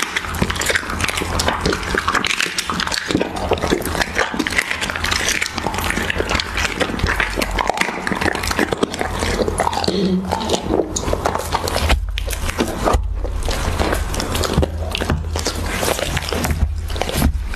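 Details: Siberian Husky eating raw beef: wet, steady chewing and biting with dense crackling clicks and smacks throughout, a few sharper bites in between, over a constant low hum.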